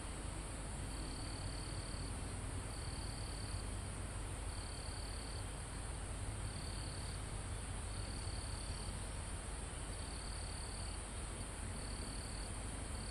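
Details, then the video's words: Crickets in a forest near the top of a mountain, recorded live: short high trills, each under a second, repeat about every one and a half seconds over a steady high insect hum and a low rumble of wind. "Calm Forest in Mountain With Crickets, Insects Sound"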